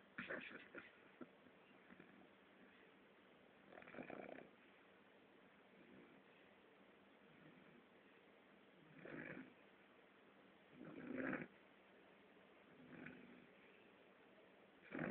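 An English Bulldog puppy snores in rough, rasping bursts every few seconds.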